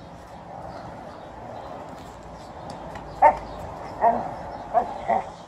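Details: Female Alaskan Malamute playing with a basketball and angrily trying to bite it. After about three seconds of low background rumble come four short, sharp barks spaced roughly half a second to a second apart.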